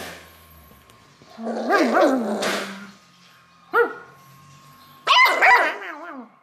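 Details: A happy beagle puppy, reacting to play calls, gives bright, wobbling yips and short howling notes, each rising and falling in pitch, in quick clusters separated by brief pauses, full of playful excitement.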